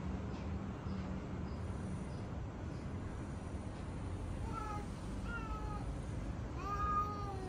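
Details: Mocha, a male pet cat who goes into fighting mode whenever he sees other cats, gives two drawn-out, wavering meows late in the clip, the second louder and rising, over steady low background hum.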